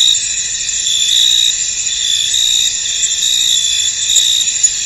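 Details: Chorus of crickets in a fog-covered field: continuous shrill, high trilling layers, fairly even in loudness, with a faint click near the end.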